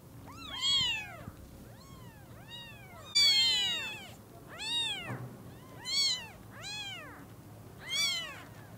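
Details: A run of around nine piercing, arched meows from newborn kittens whose eyes have just opened, greeting the mother cat; calls come irregularly, some overlapping, one especially loud and shrill near the middle.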